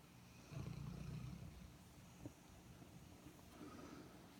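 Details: Sleeping Airedale Terrier snoring: a low, rumbling breath lasting about a second near the start, followed by quieter, softer breathing in a hushed room.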